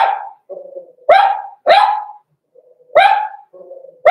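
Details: Puppies of Cavalier King Charles Spaniel breed, blenheim, six weeks old: high barks alternate with thin, wavering whines, giving a bark-whine-bark pattern about every half second to second.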